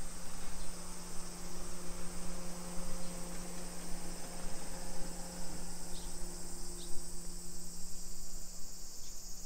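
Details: Cicadas sing a steady, high, hissing drone over a low rumble and hum of town noise in a suburban hillside residential area of Nisshin near Nagoya, Japan, at 1 PM on 28 July 2021 in summer.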